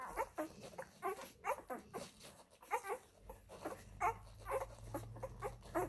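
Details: Labrador Retriever puppies, F litter, suckling from their mother Molly. They utter a steady string of short squeaky whimpers with a few longer whines, and a low hum is audible in the second half.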